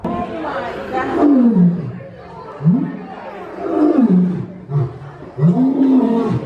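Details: Lion roar tied to dominance, heard as a series of deep, rising-then-falling groaning calls, several in succession with brief gaps, with possible voices mixed in.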